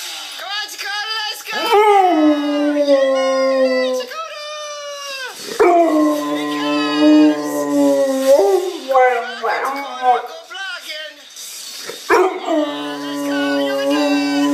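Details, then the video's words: Pet Bullmastiff howling while chasing a dirt bike in a game: long sustained tonal howls, each held for about two seconds, some sliding upward, repeated with short breaks; a woman talks in between. "My Howling Bull Mastiff"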